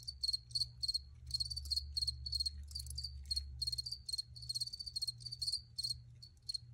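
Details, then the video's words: High, trilling cricket chirps in bursts of clustered pulses, some running together into longer trills, against a low droning hum. "Free Cricket Sounds for Re-Use or Relaxation"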